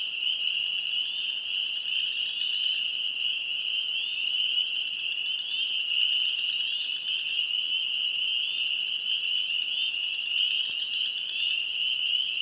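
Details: A Wisconsin chorus of many spring peepers gives continuous high-pitched peeping, so thick that the calls blend into one unbroken shrill trill. A single faint click is heard near the end.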